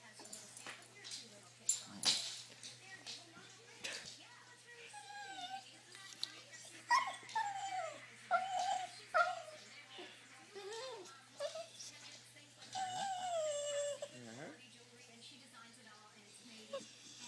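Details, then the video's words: Dog named Isis, restless because it wants to go for a drive, giving wavering whines and yelps that rise and fall, with short sharp yips in between, over faint background noise and a person's voice. "Dog wants to go for a drive"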